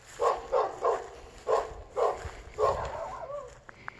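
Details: A dog barks in Volcano on July 7, 2022, with a run of short, mid-pitched barks, about six in four seconds. A brief sliding squeak and faint clicks follow near the end, over a low background rumble.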